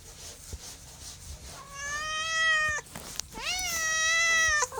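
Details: Pet cat meowing twice, each call held more than a second: an even, level first meow, then a louder one that dips and climbs before tailing off.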